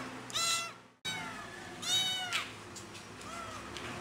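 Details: Pretty the cat calling loudly for its missing mother, two strong arched meows followed by a fainter third one after a brief cut, with steady background hiss.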